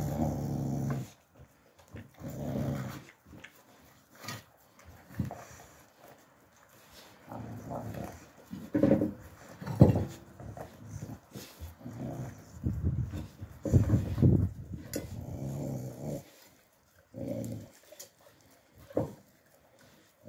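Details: Young Alabai puppies in winter 2023 growling and grumbling in low, rough bursts, some louder snarling peaks and brief whimpers between quieter pauses, with an indoor room feel.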